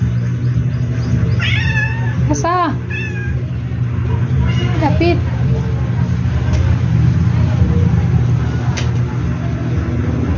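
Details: Indoor domestic cat trying to catch a dragonfly on the ceiling gives a quick run of short, wavering meows, several in a few seconds, then falls quiet amid a steady low hum and a person talking.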